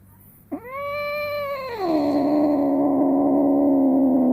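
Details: Female house cat aged one year eight months, in heat, moaning while her rear fluid is wiped as a vet advised, recorded indoors on a smartphone: a sharp onset, then a long harmonic yowl that drops and holds a low droning tone.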